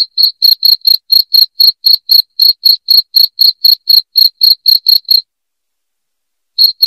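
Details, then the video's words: Loud cricket chirping, played to drive rats out of the home: sharp high pulses at a steady four per second for about five seconds, a short silence, then chirps returning at the very end. No other sounds. "SUARA JANGKRIK NYARING PENGUSIR TIKUS"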